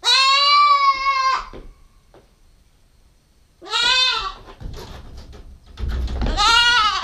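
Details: Nubian goat kid, a 9-week-old doeling, bleats three times: a long level cry, then two arched, quavering calls a few seconds apart, with thumping and shuffling noises close by.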